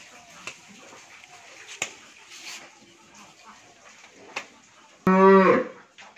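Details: Pregnant Friesian milking cow at a dairy farm in Pabna district, Bangladesh; after five seconds of faint clicks and room noise, a single abrupt, loud, short moo bursts out near the end.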